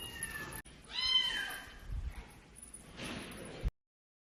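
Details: Kitten gives one clear, high, drawn-out meow that rises then falls, followed by a softer, breathy cry, with faint background noise indoors.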